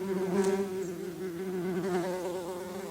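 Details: Worker bumblebees flocking back to their nest after it was handled. A close, steady, low-pitched buzzing hum that wavers slightly in pitch for about three seconds.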